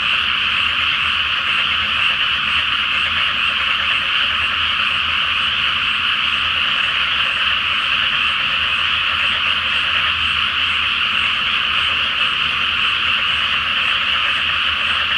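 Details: Flooded rice paddy at night before planting, full flower moon overhead, frogs calling en masse. A long, dense, unwavering chorus of rattling croaks sustained without pause across the whole recording.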